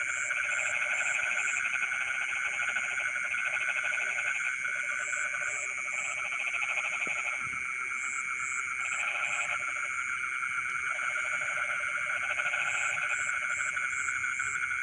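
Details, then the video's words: Frogs calling in rice fields in the middle of the night: bursts of rapid pulsed croaking rise and fall every few seconds over a steady high insect trill and repeated short insect chirps. "the sound of frogs singing in the rice fields in the middle of the night"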